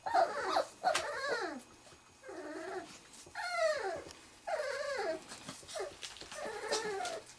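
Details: Three-and-a-half-week-old Wirehaired Pointing Griffon puppies of the 2013 "E" litter, meeting quail scent for the first time; repeated falling, nasal whimpers and grumbling whines in clustered bouts roughly a second apart, with faint background hum.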